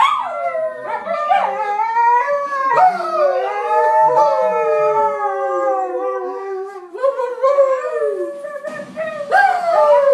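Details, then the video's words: A Cairn and a Husky howling together in a choir, long wavering tones that slide up and down, overlapping voices sustained for several seconds, then a brief break before more howls. "Cairn & Husky Choir"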